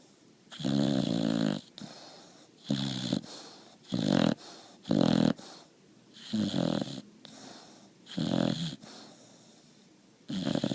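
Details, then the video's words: Boxer puppy snoring in steady rhythm: about eight harsh, rattling snores, each under a second, repeating roughly every 1.3 seconds with short quiet breaths between. "Boxer Puppy SNORING"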